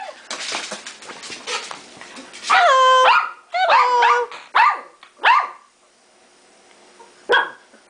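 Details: Domestic dogs in a busy multi-dog household, several pets greeted indoors; a series of high yelping barks with harmonic whine-like notes, loud bursts at about two-and-a-half to five seconds, then quieter.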